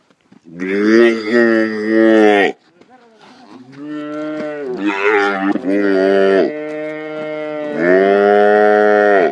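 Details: Calves bellowing while being branded at Pedro Celestino Negrete, El Oro, Durango, Mexico: loud, drawn-out, harmonic moos of about two seconds each, several in a row with short gaps, faint voices between calls.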